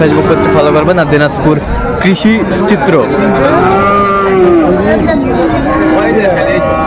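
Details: Sahiwal bull calves at a cattle market, bought by a Dhaka farmer, 4 February 2025: a long, drawn-out, harmonic moo swelling and then sliding downward, with a shorter lowing before it, over steady crowd chatter and nearby talking.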